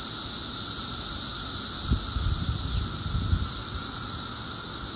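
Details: Periodical cicadas, the 17-year brood, two weeks out of the ground and at full volume, making a continuous high-pitched buzzing wall of sound; two soft low thumps break in underneath.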